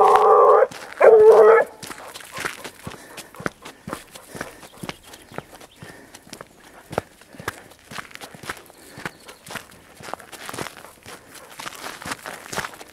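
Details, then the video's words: Hunting dog Grapa de Vallezano on the trail of wild boar, outdoors in the countryside: two loud, harmonic baying barks in the first two seconds, then footsteps crunching through vegetation for the rest. "GRAPA DE VALLEZANO EN RASTRO DE JABALI"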